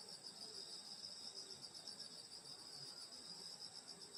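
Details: Rural summer night at a grandmother's home, grass insects calling: an even, high-pitched buzzing trill chorus that never pauses, with soft low murmurs faintly underneath.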